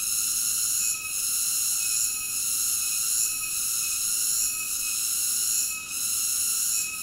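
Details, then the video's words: Continuous high-pitched cicada song, a dense ringing buzz of stacked tones that holds steady with brief, slightly irregular dips roughly every second, heard alone without voices or music. "Cicada ASMR Sleep Nature Sounds"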